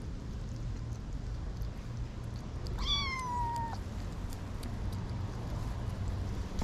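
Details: Young kitten, one of a litter whose mother has been missing for a week, in a family home garden; a single drawn-out, level meow lasting about a second, with faint background hum.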